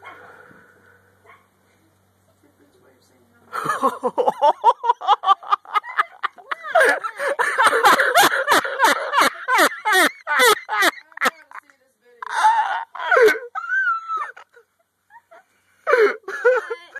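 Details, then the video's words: Puppy barking at a deer, which trips and falls: after a quiet start comes a fast run of sharp, high yipping barks, several per second, then scattered barks with brief human voices between them. "Deer trips and falls after puppy barks!"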